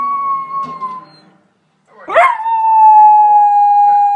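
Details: A male Corgi howls in long, steady tones at a certain spot in a movie playing on TV, breaking off briefly before a rising yelp swells into another sustained note.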